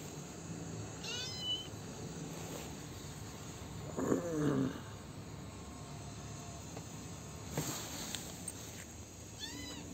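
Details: A lone male kitten, hidden when his brothers were taken and now looked after and fed, cries in several shrill, arching meows, with a lower, louder call midway and soft rustling throughout.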